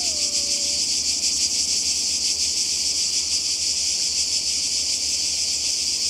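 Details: Many cicadas shrilling by the sea in Croatia during a 2020 summer holiday: a loud, continuous high buzz; a faint, brief lower whistle slides down at the very start and then levels off.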